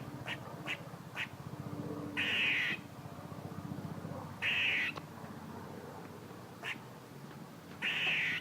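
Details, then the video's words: A squirrel makes noises: a few quick sharp chucks, then three drawn-out harsh, buzzy rasps spaced about two to three seconds apart, with scattered fainter chucks and a low background hum. "A squirrel making noises"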